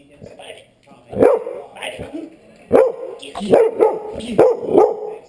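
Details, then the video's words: Dog barking in short harsh bursts, several clustered barks at irregular intervals with low growly tones between, a human voice also audible. "crazy dog 1"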